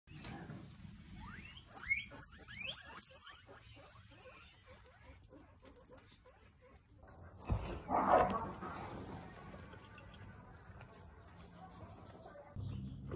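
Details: A bunch of guinea pigs running toward their owner, giving a quick series of high squeaky calls that rise in pitch, clustered in the first three seconds, then a louder rustling burst near the eighth second amid background shuffling.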